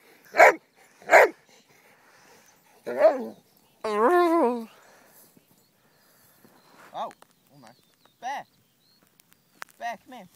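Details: Pet dogs out on a walk, a group of six named Dixie, Honey, Oliver, Jumbo, Annie and Bear: two sharp, loud barks open, then a person talks to the dogs and calls them, with a few shorter, softer barks scattered through the rest.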